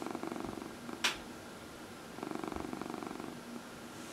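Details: Pet cat purring during a massage indoors, one of four house cats: pulsed, rhythmic rumbling purr in two clear bouts, with a brief sharp click or rustle near the first second.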